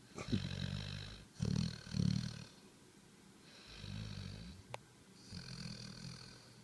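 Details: Sleeping dog Harper, tongue out, 11.5.2013: soft low snores, a double snort near the start, then quieter drawn breaths with airy hiss above, spaced a second or more apart, with a single sharp click midway.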